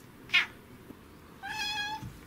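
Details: Female domestic cat meowing indoors while its owner talks to it: a short sharp chirp, then a drawn-out, level, harmonic-rich meow lasting about half a second, with quiet room noise.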